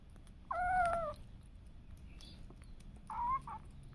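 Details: Domestic cat or kitten indoors giving a clear harmonic meow lasting about half a second, followed by a second shorter, softer meow near the end; faint clicks and low room rumble behind.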